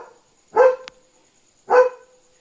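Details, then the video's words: Nighttime alert barking from Leo, a German Shepherd who knew a dog was outside; two loud, separate barks about a second apart, with a brief click between them. "Leo Knew There Was a Dog Outside! Smart German Shepherd"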